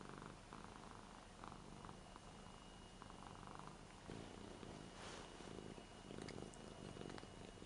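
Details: Affectionate eight-year-old Ragdoll Rara purrs and licks while stroked on a new bed indoors. The pulsing purr is low and steady, and soft clicks and rustles mix in.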